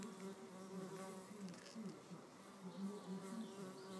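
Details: Solitary red mason bees in a fight to keep a nest cell; continuous low wavering buzz with stacked harmonics, pitch shifting up and down in short pulses, faint higher bird-like chirps in the background.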